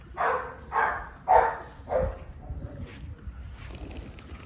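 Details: Tibetan Mastiff puppies barking: four full, hoarse barks in quick succession about half a second apart, then quieter scuffling and a faint hiss toward the end.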